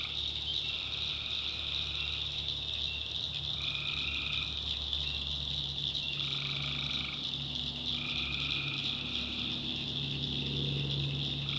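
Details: Tree frogs at night in the North Carolina backwoods swamp: a continuous high-pitched chorus with several louder, drawn-out tonal calls spaced every two seconds or so, plus soft low humming tones underneath.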